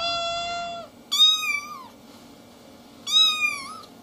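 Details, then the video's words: Kitten talking with three distinct meows. The first is steady and level, the second is longer and higher with a falling tail, and after a pause a third high meow bends downward at the end. The room is quiet. "Küçük Yavru Meowing Ve Konuşurken"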